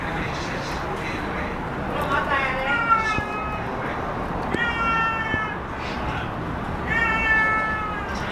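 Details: Cat found in a basement, making drawn-out wailing meows that sound like a crying child; three long, tonal cries, each rising then falling, spaced a few seconds apart over steady background hum.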